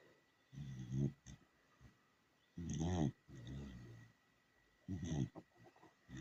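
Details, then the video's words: A sleeping dachshund snoring: deep, rumbling, harmonic breaths rising and falling in bursts roughly every two seconds, each lasting about half a second, with quiet gaps between. "Такса давит храпака)"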